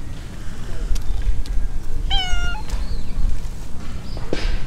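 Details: A single short, clear meow from a stray silver tabby cat strolling with a companion in an urban park, over a steady low city hum and a few soft rustles.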